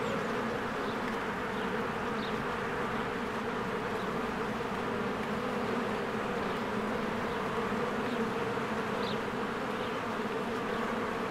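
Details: Swarms of worker bees at a cozy beehive in spring, coming and going: unbroken buzzing drone, thick and even, low tones layered with a fuzzy upper hiss, and a few brief, faint bird chirps rising above.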